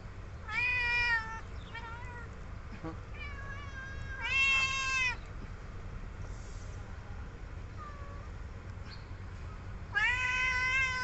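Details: Very young kittens at feeding time meowing repeatedly: loud, high harmonic cries near one second long come in bursts at about 0.5, 4.3 and 10 seconds, with fainter meows between and a steady low background hum.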